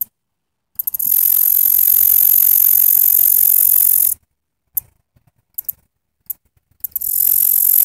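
A katydid sings in a very high, hissing buzz that runs steadily for a few seconds. It then breaks into short ticking bursts before the buzz resumes.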